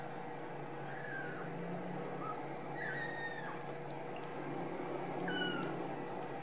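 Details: Ragdoll kittens raised free of cages in a home cattery in central Kansas, giving thin, high mews: about four short cries that rise and fall, scattered over several seconds above a steady low hum.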